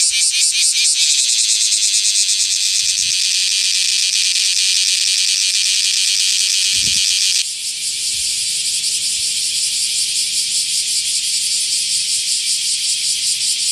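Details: A male bear cicada calls in the morning next to the shed skin it left when it became an adult, in Osaka city. A continuous, harsh, high buzz pulses rapidly, then shifts after about seven seconds to a slightly softer, steadier drone.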